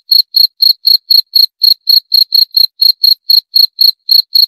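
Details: Bright, ringing cricket chirps, fifteen or so short pulses in quick succession at roughly four per second, clean and isolated with no background sound.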